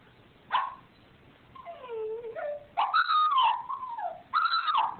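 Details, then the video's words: Crying dog giving a series of whining cries: a short yelp, then drawn-out wavering whimpers that rise and fall, a few stretched high tones near the end, with quiet pauses between them in a small indoor space. "Crying Dog"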